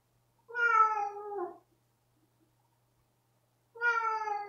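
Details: Pet cat, female, upset after a spot-on flea pipette treatment, giving a frightening, drawn-out meow: a long, strained, harmonic wail falling slightly at its end, then a second similar cry after a pause, in a quiet room.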